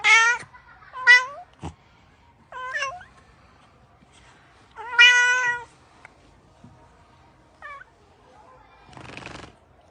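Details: A cat producing a quick series of short, high meows and chirps, some rising and some falling, with one longer bright meow near the middle and a brief noisy burst toward the end.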